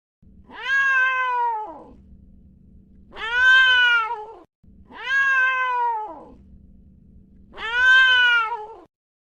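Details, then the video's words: A domestic cat meowing: four drawn-out, tonal meows, each rising then sliding down, paired at roughly 2.5-second intervals, with a faint low hum filling the gaps between calls. "Yes! The cat says meow."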